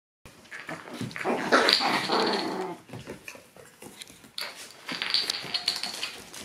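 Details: Several Shiba Inu puppies arriving lively at their daycare, giving two bursts of harsh, scratchy growling mixed with high yips, the first lasting about two seconds, the second starting near the five-second mark.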